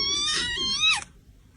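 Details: Domestic cat giving a single drawn-out, high, harmonic meow of about one second, holding steady and then dropping sharply in pitch at the end, indoors in a small room.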